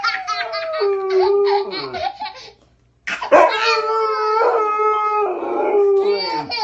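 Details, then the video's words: A pet dog howls back at a howling baby indoors: a burst of babble-like cries, a brief silence, then a long, steady, mid-pitched howl with rich overtones that wavers and breaks near the end. "Cute Dog Responds To Baby's Howling"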